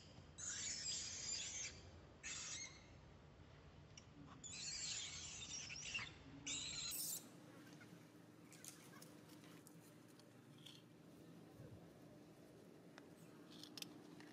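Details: Baby monkey crying loudly while its mother disciplines it: harsh, noisy screeching bursts repeat over the first seven seconds, each lasting about a second. Afterwards it goes quieter, with scattered faint clicks and rustles.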